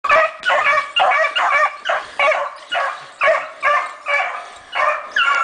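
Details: Several dogs running a hare, giving loud, rapid barking and baying calls in bursts of roughly two to three per second, each call harmonic-rich and slightly falling, overlapping one another in a steady chorus.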